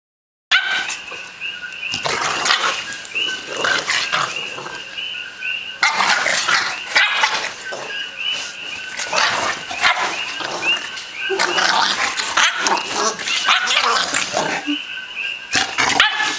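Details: An 8-week-old American Bulldog puppy playing roughly with a 1-year-old dog, giving bursts of harsh yips, barks and snarls in clusters every few seconds, over a steady wavering high tone.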